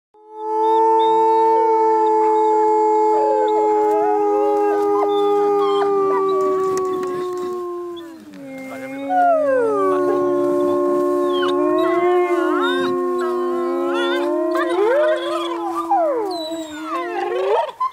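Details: Wolves howling together alongside a person joining in: long sustained tones with smooth sliding pitch, several voices layered in chorus, rising and falling, some wavering higher howls toward the end.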